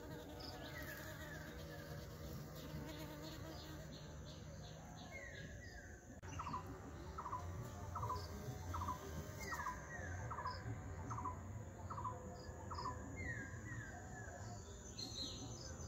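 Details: Bees close up while pollinating flowers and collecting honey; a low, steady droning hum runs throughout, overlaid from about six seconds by a series of short, evenly repeated chirps from another creature, with faint background hiss.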